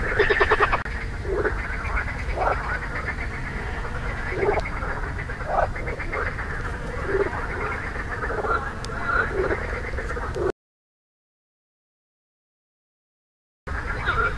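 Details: Marsh frog croaking, recorded 2 June 2013 with inflated vocal sacs: rapid bursts of rattling, pulsed croaks repeated roughly every second over a chorus of other frogs and steady low background noise, with a brief gap of silence.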